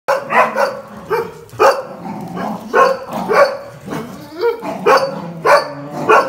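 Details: Several dogs, a Jack Russell Terrier and two Border Collies, one black and white and one red and white, playing tug over a towel, giving sharp repeated barks and yips about every half second, with growly excited vocalizing between them.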